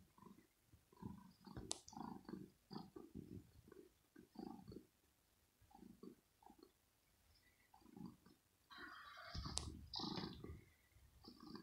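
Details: Female kitten Rosetta in her scratching home, teased with a finger during morning play and scratching hard: rapid run of short low growls, then louder, noisier hissing bursts with sharp clicks.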